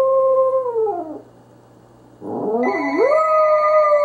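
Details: Pembroke Welsh Corgi named Nacho howling at a ringing phone: a long held howl slides downward and fades, then after a short silence a second howl swoops up and holds steady while electronic telephone ring tones sound alongside.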